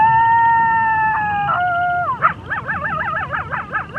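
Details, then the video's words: Night prairie coyote: a sustained, even howl slides down in pitch, then breaks into rapid wavering, yodel-like yips that rise and fall several times per second, over a continuous high chorus of frogs and toads. "Coyote howling at night on prairie"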